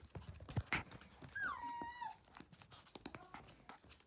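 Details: Playful, toy-loving male Toy Poodle puppy indoors gives one drawn-out whine, sliding down and leveling before trailing off, with soft shuffling and handling noises around it.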